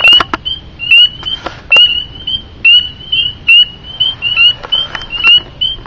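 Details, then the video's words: Spring peepers, thumb-sized frogs living under a house deck, give high, clear peeps, each a brief whistle repeated about once a second in a steady nightly chorus that runs from dusk until dawn. "Annoying little frog (Spring Peeper)"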